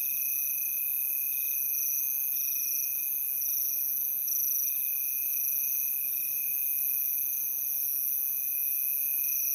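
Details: Continuous high trilling of many crickets, stacked shrill tones with a faint pulsing in the upper layers, steady volume from start to finish, nothing else audible.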